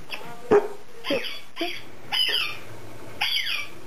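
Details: Seven-month-old male Standard Poodle puppy named Oasis, recovering about a week after being neutered, indoors: a sharp yelp followed by a series of high, descending whines and squeals, spaced roughly every half second to a second.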